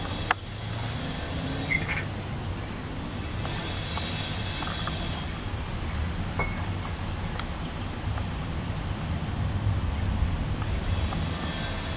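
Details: Steady low engine-like rumble and wind noise with a few faint clicks; no clear animal call stands out.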